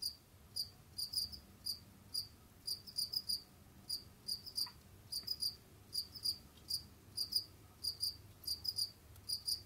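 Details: Jamaican field crickets kept indoors as pets, wandering and hunting: continuous run of sharp, high, pulsed chirps, mostly doubled or tripled, repeated every half second or so, with a soft low hum behind.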